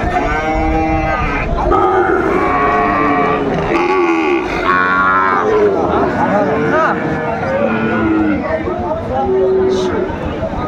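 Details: Overlapping moos from Sahiwal bull calves at a crowded Pabna cattle market, 30 June 2024, several tonal bellows rising and falling in quick succession against steady human chatter.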